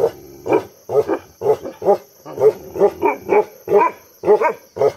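A Bhotia dog barks in a steady series of deep, harsh woofs, roughly one per second.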